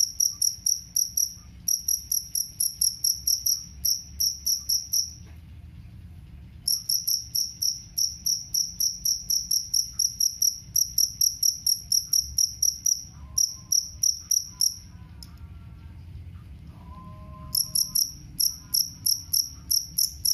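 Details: Jangkrik kalung chirps, the two-spotted cricket used against rats and as a bird tutor; bursts of rapid shrill chirps broken by pauses of one to two seconds, with faint whistled bird notes during one gap.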